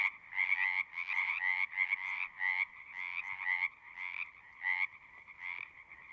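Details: Frogs calling at a pond in a horse pasture, recorded with a Zoom 6: a loud chorus of overlapping croaking trills, each burst lasting under a second, repeating in quick, uneven pulses with brief quieter gaps between.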